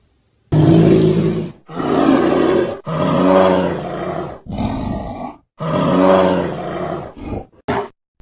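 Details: Bear roaring in a series of deep, harsh bursts, five loud rough roars of about a second each separated by short pauses, ending with a brief sharp sound.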